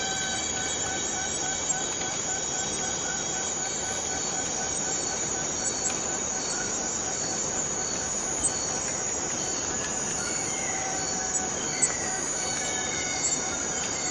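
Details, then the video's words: A long, unbroken forest cicada chorus gives a bright, dense, rasping hum throughout. Several faint steady whistled tones lie underneath, with scattered soft clicks. "Forest Cicadas Free Sound effect"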